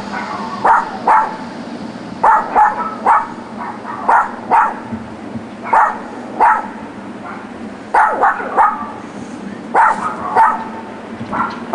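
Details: Dogs next door, left alone in their back yard all day, bark persistently; clustered yaps arrive in bursts of two to four, roughly every one to two seconds, with brief pauses and a constant low hum beneath.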